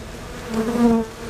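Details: Honeybees lined up at the hive entrance, fanning to cool the hive; a brief low steady hum with a tonal drone that swells in the middle and fades.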